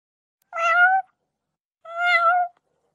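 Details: Cat meowing twice, two clear, drawn-out meows, each about half a second long, with a pause of nearly a second between them; a short gap of silence follows each call.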